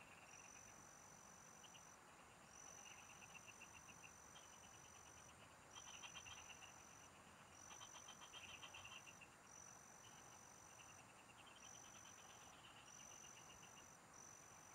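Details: A field chorus of frogs heard during a fishing trip: repeated bursts of quick ticking pulses, some louder and denser trains near the middle, with a long high whine returning roughly every one to two seconds over steady rural hiss.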